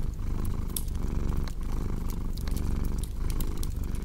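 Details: Close, loud cat purr rumbling low and fast, in breath-by-breath waves, with occasional sharp fireplace crackles overhead.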